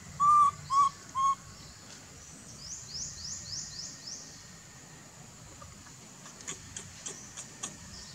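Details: Baby monkey calling its mother for milk: three short, clear whistled coos in quick succession, each holding a steady pitch, then quiet background with faint high sweeping chirps and a few soft ticks near the end.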